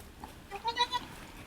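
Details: Goat at Needham Goat Farm, the mother Halley Berry delivering triplets, bleating around the birth of the second kid: a short, thin, wavering bleat in three quick pulses, quiet with a soft background hiss.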